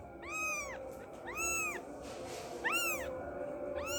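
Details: Young kitten crying for its mother, four drawn-out meows that rise and fall in a smooth arch, about one a second, over a constant low electrical hum and hiss.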